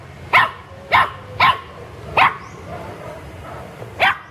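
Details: Playing pet pups in a garden give short, bright yapping barks, four in fairly quick, uneven succession, then a pause and one last yip, over a soft outdoor hush.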